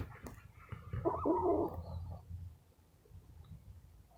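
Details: Pet rescue squirrel, sleepy and being petted indoors before napping, gives one rough, grainy, chattering burst lasting about a second, surrounded by a low rumbling background.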